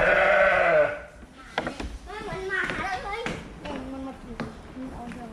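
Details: Fluffy sheep opening with one loud, trembling bleat under a second long, then only faint, quieter bleating and murmuring background sounds for the rest.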